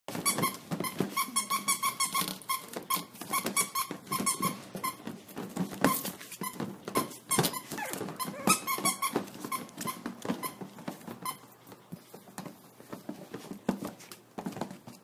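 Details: Maltese teacup puppies playing and having fun indoors: rapid squeaks, yips and small growls in dense bursts with frequent clatter and knocks, quieting in the last few seconds.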